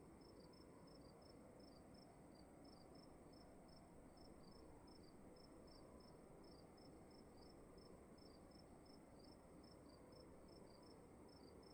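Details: Crickets heard in a room, two slightly different pitched chirp series interleaving in rapid, regular pulses, quiet above a dull low-frequency room hum.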